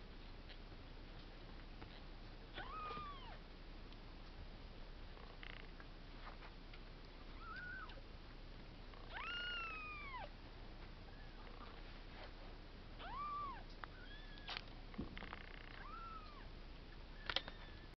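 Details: Female cream Exotic Shorthair kitten, born 1 November. Thin, high, arching mews rise then fall, about seven scattered over eighteen seconds, quiet against a steady background hiss.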